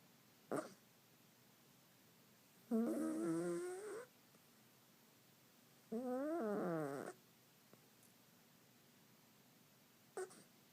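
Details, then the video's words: Newman, a domestic cat, snoring indoors: drawn-out tonal wheezing breaths about a second long, wavering in pitch, repeating every three seconds, with brief clicks between them in a quiet room. "Newman, my snoring cat"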